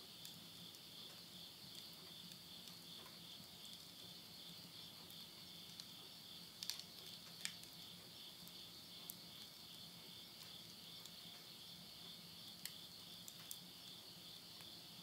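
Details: Countryside insects calling at midnight near Yurihama, Tottori, Japan, at the end of summer in September 2020. An unbroken shrill high trill fills the recording, with a faint low hum and scattered soft crackles of a wood fire in a stove.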